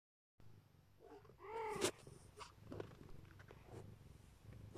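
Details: Siberian (Neva Masquerade) mother cat protecting her kittens: a low, steady purr runs under one loud, drawn-out meow that rises and falls near the middle, followed by softer scattered sounds.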